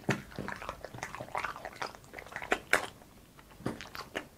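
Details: Boss, a French Bulldog, eating indoors in a small room: crunchy bites and wet chewing clicks come in quick irregular bursts, with sharp crunches standing out between softer mouth sounds.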